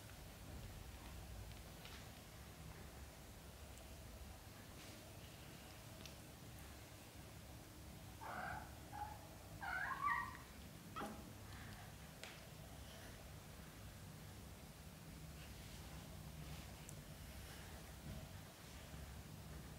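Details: A British Shorthair mother cat with her kittens on the floor while they practise walking. A quiet low rumble runs throughout, broken near the middle by a brief cluster of short harmonic meows.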